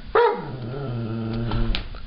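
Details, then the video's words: Pet Giant Schnauzer indoors, one of three dogs, voices protest at music being played: a sharp yelp that slides into a long, falling, moaning howl, with quiet room noise behind. "giant schnauzers making noise"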